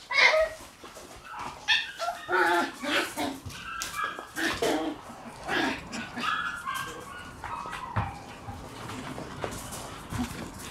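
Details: Female red Shiba Inu pup, born on 24 August, making a run of short, bright yips and whiny whimpers, about one every half second to second, growing softer toward the end.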